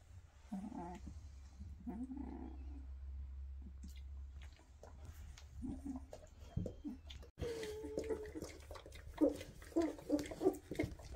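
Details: Two-and-a-half-week-old Weimaraner pups, eyes just opened, running after their mom to nurse: muffled low grunts early, then a run of higher, tonal whines in the last seconds over steady background hum.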